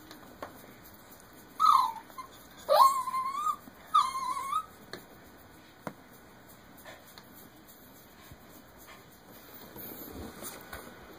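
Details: Jack Russell Terrier puppy whimpering indoors because it cannot get onto the bed: three high, thin whines in quick succession, the first rising sharply, the next two held and wavering, then a quiet room with faint ticks.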